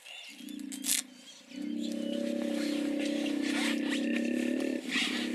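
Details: Hippos calling with a deep, pulsed, buzzing bellow that starts with a short burst, pauses, then holds steady for about three seconds before easing off, while thin bird chirps and whistles sound faintly above.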